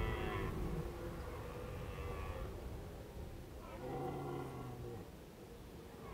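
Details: Red deer calling in autumn at Krasny Bor on 1 October 2015, during Indian summer: two drawn-out, deep harmonic calls, the second carrying a steady low tone for about a second, over a constant low rumble of background noise.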